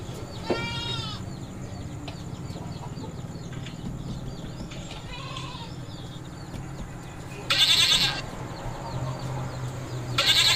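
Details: Goats at a goat farm, described as mating, give a wavering harmonic bleat early on, then two loud, harsh bleating bursts near the end over a steady low farm hum.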